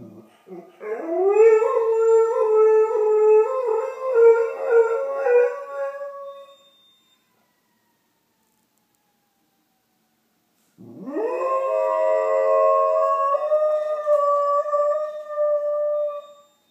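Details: A Doberman at home at 8:30 in the morning howls along with distant emergency sirens, recorded on a phone: two long, wavering, rising howls, each about six seconds, separated by a silent pause.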